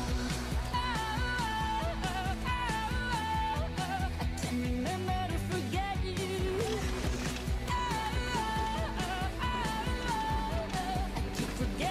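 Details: Pop music with singing and a steady beat fills the recording, with no animal sounds.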